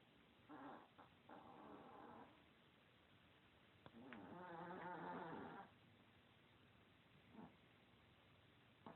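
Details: A fat, lazy Chihuahua snoring, recorded in 2016: two drawn-out, buzzy, harmonic snores of about one to two seconds each. Shorter breathy puffs come in between over a quiet background.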